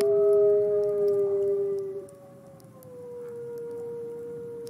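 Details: Captive gray wolf Nikai at the Wolf Conservation Center, South Salem, NY, in the snow: a softer, fading howl holding a steady tone, then sliding slightly lower and trailing off quietly.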